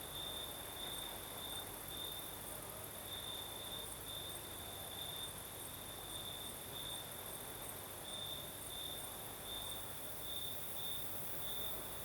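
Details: Night chorus of crickets in southern Crimea as a night breeze blows: a continuous high-pitched trill swelling in short repeated bursts, backed by a shimmering, very high insect hiss and a low rushing background.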